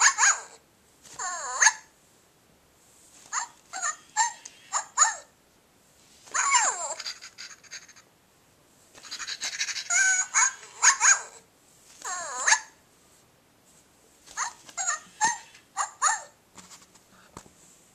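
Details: Puppy barking in high, sharp yaps and squeaky yelps, given in clustered bursts of two to four with short silent gaps between.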